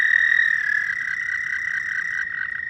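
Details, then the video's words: Frogs calling at night in a dense, steady high trill, slightly pulsing, with a second caller fading out near the end. "Frog night sounds"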